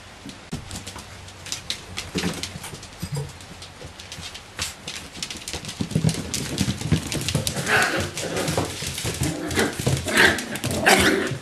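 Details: Bichon Frisé puppies, nine weeks old and from one litter, give soft whimpers and short yelps, building in loudness and frequency toward the end, with rustling and handling noises around them indoors.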